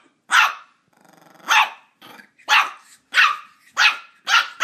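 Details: A Border Terrier puppy, Ollie, going after a squeaky toy: loud, high barks roughly every half second to second, with a short rattling growl-like noise early on between them.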